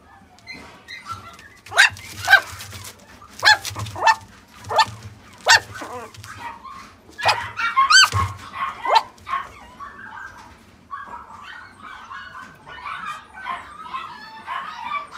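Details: Male Chihuahua × Poodle mix puppy, born September 2018, giving a series of sharp, high barks about once a second, then softer whining yips, with a low steady hum underneath.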